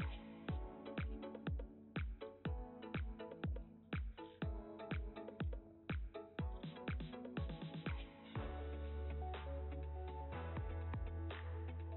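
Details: Electronic dance music with steady thumping beats fills the recording, with no animal voice present.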